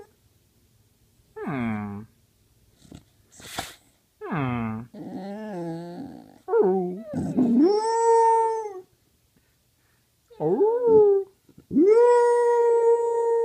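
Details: Penny, a dog, howls lazily in a small room with a string of short bent, whiny vocal notes broken by quiet gaps and one soft snuffle, ending on a long, level sustained howl.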